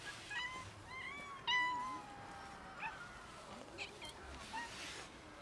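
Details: Outdoors with kittens and cats that were nearly raided by a pregnant dog, a run of clear, bending meows in the first two seconds, then fainter single mews over background hiss.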